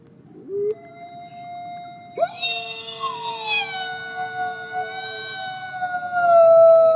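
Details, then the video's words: Gray wolf howling in the snow at a conservation center in South Salem, New York: a short rising yelp, then overlapping tonal howls from more than one voice, one high and wavering, another lower and gliding downward, swelling louder toward the end. "Beautiful Wolf Howls in the Snow"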